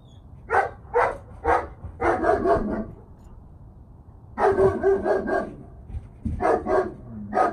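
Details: Oakley, a 10-month-old German Shepherd in obedience training, barks in quick runs of short, harsh bursts: a group of three, then a cluster of five, a pause near the middle, then another tight cluster and a few single barks.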